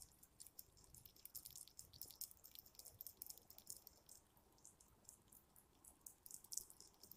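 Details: A hedgehog feeding at night, chewing with soft, irregular crunchy clicks and smacks, several a second, steady throughout over a faint background hiss.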